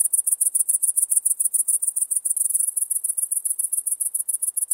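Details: Great green bush-cricket recorded in Maising, Germany, 11 September 2020, giving an unbroken run of sharp, very high ticking pulses at a steady pace of roughly three to four a second.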